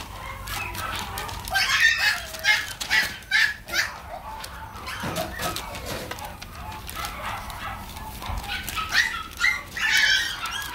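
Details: Mixed-breed dog, available for viewing until September 20, making rapid high-pitched yips and squealing barks in uneven clusters, loudest around the second and tenth seconds, over a background of clattering and rustling.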